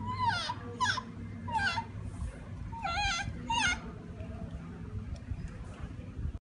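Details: Siamang recorded in Sumatra: quick bursts of rising and falling whoops with bright overtones, several calls in close succession in the first four seconds, then quieter, over continuous low rumbling background noise.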